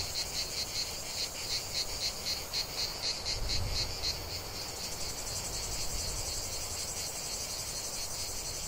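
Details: Chorus of cicadas in a lavender field, shrill pulsed buzzing that is clearly rhythmic at first then blurs into a steady drone, with a brief low thump midway.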